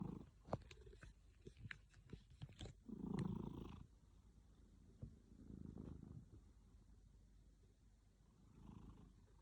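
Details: Domestic cat snoring in its sleep and unhappy at being woken; soft, low rumbling breaths swell roughly every three seconds, with a few sharp clicks and handling noises near the start.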